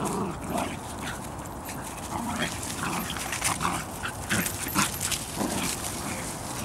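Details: Airy Step kennel Bedlington Terrier puppies out walking with their mother Leya, giving repeated short yelps and whimpers in quick irregular bursts against continuous outdoor rustle.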